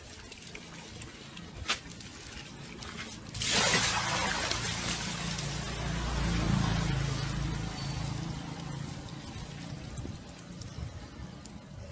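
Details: Quiet trickling and pouring water, a louder splashing burst near the middle, then a low rumble and faint background murmur, with no animal call.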